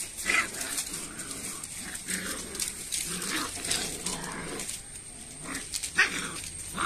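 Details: Rottweiler puppies showing aggression: short, rough snarling bursts and yelps scattered through the recording, some sharp and high, with quiet stretches between and faint human voices in the background.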